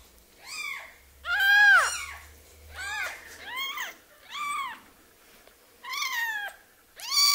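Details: Baby kitten without its mother, cared for indoors; a series of six loud arched mews, rising then falling, roughly every second, one stretched and strained, over a quiet background.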